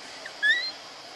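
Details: Baby monkey giving one short, high, thin cry that rises slightly, lasting about a third of a second, over a steady soft hiss.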